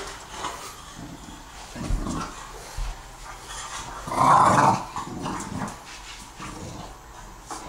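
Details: Two bulldogs, a two-year-old English Bulldog and a four-month-old French Bulldog, wrestling in their nightly play fight: scattered rough growls and grunts, with one louder, higher whining yelp midway through.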